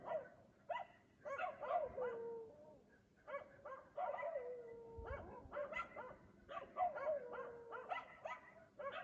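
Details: Dog barking at 3 AM in Aliseda (Los Galaperos), a nightly occurrence while its owners sleep; bursts of sharp, hoarse barks come in quick irregular runs, some drawn into short falling whines, in a quiet night setting.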